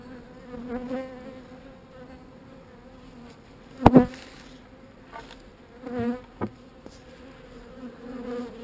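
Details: Honey bees described as not so angry, giving a steady low droning hum that holds one even pitch with a faint overtone above it. A few sharp clicks and brief voice-like bursts break in near the middle.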